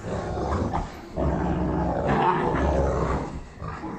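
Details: Deep, continuous rumbling growl from a Cane Corso during a tug-of-war game with another Cane Corso, Hank and Loretta, Kansas City; brief dip in the growl after one second, then it resumes strongly.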